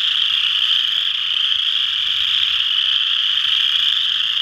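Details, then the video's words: Chorus of western chorus frogs at Ojibway Park in Windsor, Ontario, a continuous shrill wall of overlapping trills with no pauses, plus soft low background noise. "Western Chorus Frogs"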